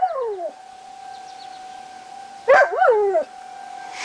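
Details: Lazarus the dog howls along with the monthly tornado sirens on July 1, 2009. A falling howl opens, then a wavering, bending howl follows midway, both over the steady, unbroken drone of the siren.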